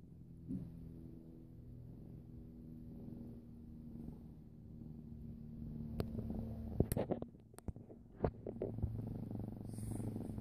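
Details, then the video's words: Female pet cat purring indoors: a steady, low rumbling purr runs throughout, with a few sharp clicks and handling noises in the latter half. "Purring kitty"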